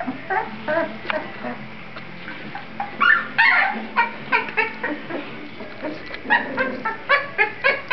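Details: Kuvasz puppies moving about in a whelping box, recorded 15 May 2009: a run of short, high squeaks and whimpers, several in quick bursts, some rising and falling, with brief quiet gaps between.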